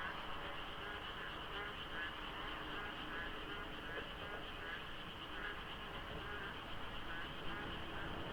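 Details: Monsoon-season frogs fill the dark at dawn near the Deokso IC interchange of a South Korean expressway. The numbers are hard to judge. Repeated croaking pulses blend into a thick, unbroken chorus over a soft low rumble of road noise.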